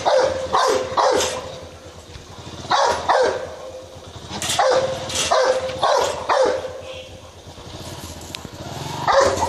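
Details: Rottweiler in India attacking a man, giving a rapid series of harsh barks in bursts of two to four, about two per second, with brief pauses between bursts and background noise throughout.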